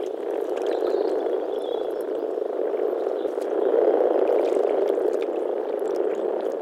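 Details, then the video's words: Frogs calling in spring at a pond or wetland in the Czech Republic: a dense, unbroken chorus of low croaking that swells slightly midway, with a few faint high chirps above. "European frog calls"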